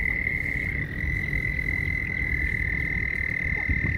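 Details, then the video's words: Mating frogs produce an unbroken high-pitched trilling drone that holds steady for the whole stretch, over a low background rumble. "frogs mating"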